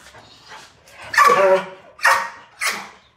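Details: Family Belgian Malinois, described as wild, barking as the household's Siamese cat tries to approach it during an early morning walk starting from the garage; three sharp, harsh barks in quick succession, the first longest, after a quieter lead-in.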